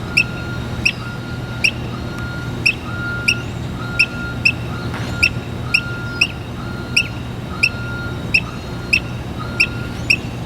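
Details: Chirping squirrel on a water valve gives a regular run of clipped, high, bird-like chirps roughly every half to three-quarter second, with a faint intermittent steady tone and low background hum beneath.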